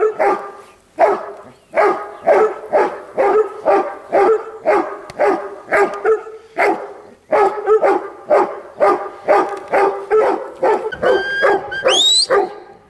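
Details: Steady barking from a Huntaway, loud harsh woofs repeated roughly twice per second for nearly thirteen seconds, with a brief high rising squeal near the end.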